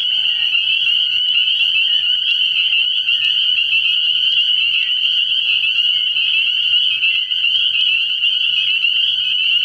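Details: Unbroken wall of high, shrill peeps from numerous spring peepers at a frog pond at night early in the year, evenly loud throughout with no other clear sounds.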